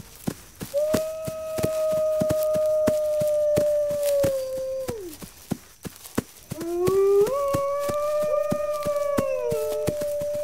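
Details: A long, level wolf howl holds steady for about four seconds, then drops away. A second howl rises after a short gap, joined by a lower wavering voice. Steady crackling clicks sound in the background.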